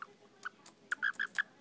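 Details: Betsy, a pet frog, making sounds while getting a belly rub indoors: a quick series of short, squeaky chirps, several clustered within a second, over quiet room background.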